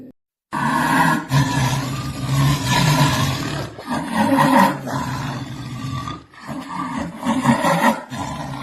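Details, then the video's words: Jaguar roaring: loud, harsh, broadband roars with deep rumbling undertones run almost continuously, broken by brief dips and a few short gaps. "SOM Rugido DA ONÇA PINTADA!"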